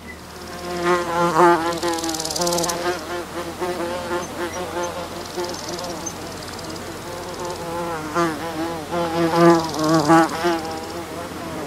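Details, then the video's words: Single carpenter bee buzzing in flight, recorded close up: a wavering, harmonic-rich drone that swells and fades repeatedly as the bee moves nearer and away, loudest around the second and tenth seconds. "Carpenter Bee. CU Buzzing In Flight From A Single Bee"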